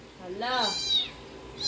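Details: Siberian Husky reacting to played dog sounds: a single rising, wavering whine that climbs steeply and then holds high before fading, with the start of another high cry at the end.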